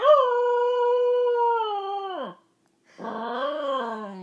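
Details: A corgi howls at 1:30 in the morning in reaction to a cat piano app on an iPhone, holding a long, steady, mid-pitched note that sags and drops away at the end.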